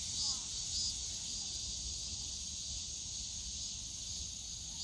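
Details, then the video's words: Cicadas droning high and continuous in the Yongsan Family Park bamboo forest on a summer day, with a couple of brief thin chirps near the start and low park noise below. "용산가족공원 대나무숲 매미소리"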